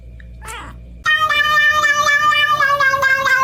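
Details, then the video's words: Kitten meowing: a short faint cry, then a loud, drawn-out wavering yowl with a rich, nasal tone that holds for over two seconds. "kitten meowing"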